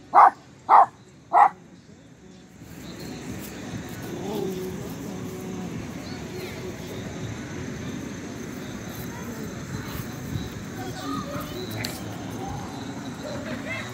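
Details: Théo, a pinscher almost two years old, on a walk in the little square near home, makes noise after sniffing something. Three sharp, high barks come in quick succession in the first second and a half, followed by a steady outdoor hum.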